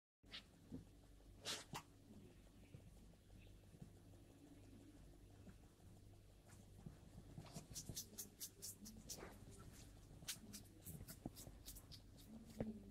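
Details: Long-eared hedgehog eating: bursts of sharp, crunchy chewing clicks, sparse at first, then quick runs of smacking, crackling bites in the second half over a steady low indoor hum.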